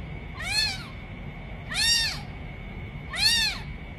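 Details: Newborn kitten mewing three times, each short, high and arched, rising then falling in pitch, spaced about every one and a half seconds, with a constant faint high-pitched whine behind.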